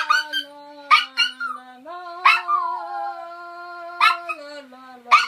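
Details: Male toy poodle singing along with its owner's tune: short high yipping howls and wavering whines break in over a person's steady, low sung notes, held and then stepping up in pitch.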